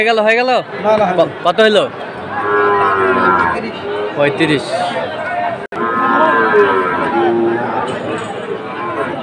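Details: Sahiwal bull calves traded at a Jessore, Bangladesh market, 29 October: a long lowing moo, then a second drawn-out moo a few seconds later, set against busy human talk and shouting.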